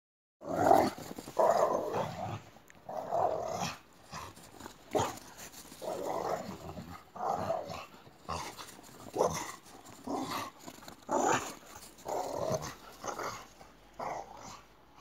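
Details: Boxer dogs playing chase together, giving repeated rough growling vocalizations in bursts roughly every second, each mid-pitched and throaty, separated by short quiet gaps with scattered clicks and scuffling sounds.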